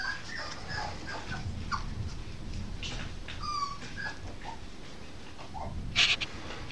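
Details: An 8.5-week-old female Norfolk Terrier puppy whimpers. A few thin, high whines include one clear wavering whine midway, over a soft low background rumble, and a brief sharp noise comes near the end.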